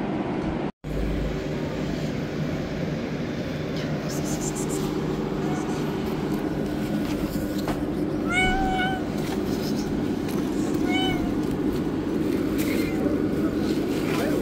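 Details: Tabby stray on the street begs for food: after a quiet stretch of steady background rumble, three short wavering meows come a couple of seconds apart in the second half.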